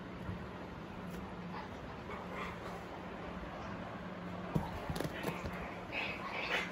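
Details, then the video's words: Lhasa Apso puppy, 40 days old, giving brief soft whimpers and yips over a steady low hum, with a few sharp clicks and knocks toward the end. "Lhasa apso puppy 40 days old"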